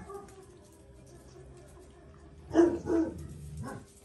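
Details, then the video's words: Jack Russell Terrier mother Paris with her son Oscar during a lesson; quiet hum for two seconds, then two quick barks followed by a softer third bark. "JACK RUSSELL PARİS OĞLU OSCAR’A DERS VERİRKEN"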